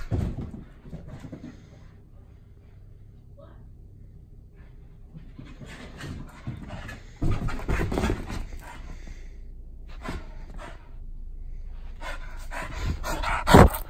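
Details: Pit bull named Luna racing around indoors before bedtime. Quiet opening, then dense bursts of heavy panting and thumping movement from about seven seconds on, with a person's voice speaking in Spanish now and then.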